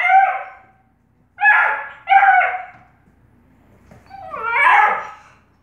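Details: A Bluetick Coonhound puppy, trying to play with the household cats, gives four drawn-out, slightly falling yelps, each under a second long.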